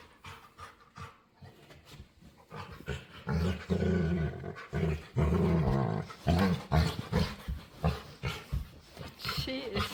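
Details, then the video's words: A female pet dog begging to play, making weird noises: low, throaty harmonic grumbles and groans in drawn-out bursts through the middle, with choppy short sounds at the start and end, over background music. "Cutest Dog Begs To Play | Adorable Dog And Human Compilation Video | Playful Dog Makes Weird Noises"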